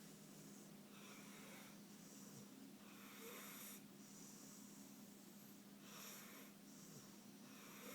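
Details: Pit bull Suge asleep on a couch, snoring away in rhythmic, hissing breaths spaced roughly two to three seconds apart, with a faint constant room hum underneath.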